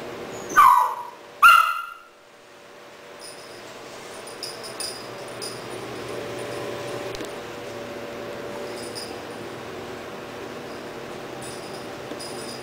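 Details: {'_': 'Rahab, a three-month-old Doberman puppy, barking at a second-hand stuffed toy puppy at home in Cebu City, Philippines, October 12, 2009; two sharp barks about a second apart, followed by faint high chirps over steady room hum.'}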